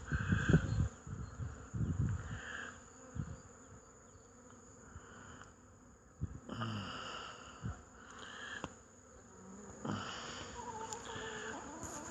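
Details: Honey bees flying around hives at an apiary on 8 March 2015, an early spring day. Intermittent buzzing of bees passing close, swelling and fading in bursts at the start, middle and end, with low thumps and rumbling in between.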